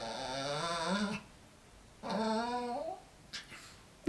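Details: Pet dog protesting angrily after being told to sleep separately, letting out two drawn-out, squeaky grumbling whines with a rising, wavering pitch, each lasting about a second, separated by a quiet pause, before a brief human remark.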